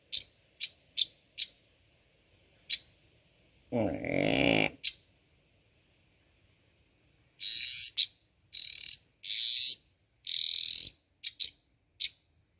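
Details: A dwarf tree frog, about 25 mm long yet audible from 100 m away, croaks loudly with short, high, clicking notes and longer rasping buzzy croaks in irregular bursts.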